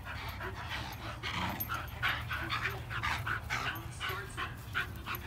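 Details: Bulldog wrestling in play, giving repeated short grunting and yapping noises over a steady low rumble, with scuffling throughout.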